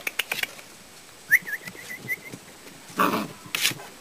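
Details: Five-week-old puppies: a thin, high wavering whine breaks into a quick run of short rise-and-fall notes lasting about a second, surrounded by scattered clicks, rustling and handling bumps.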